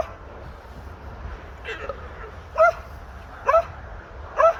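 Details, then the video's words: Alpaca giving its alarm sound: after a faint, noisy start, three short, loud, harmonic cries come about once a second, each a brief squeaky wail with a steady low hiss behind it. "Alpaca Alarm Sound"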